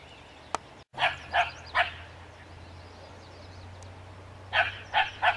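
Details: A dog barking at a skunk: two quick runs of three sharp, harsh barks, one near the start and another near the end, separated by a quiet stretch with a low steady hum and a single click before the first run.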